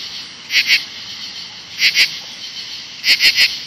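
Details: An emerging brood of 17-year cicadas near bushes on a late evening in August 2013. A loud shrill drone is overlaid by sharp buzzing pulses in groups of two, two and three.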